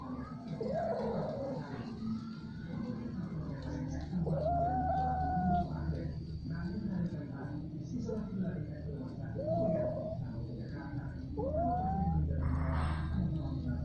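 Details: Domestic cats during repeated, prolonged mating, uttering a string of rising, drawn-out wails separated by short pauses, over a low steady background hum.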